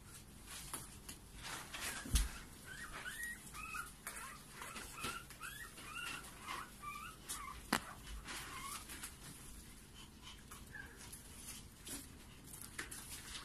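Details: Young Maltipoo pups, five brothers and sisters from one litter, whine in a run of high, curling squeaks that rise and fall, several per second in bursts, with occasional thumps and rustling indoors.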